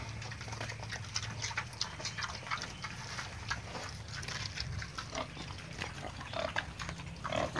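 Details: Penned adult wild boars, the breeding parents on a Vietnamese farm, being fed jackfruit. Low rumbling grunts come in the first seconds. Steady crunching and chewing clatter runs through the clip.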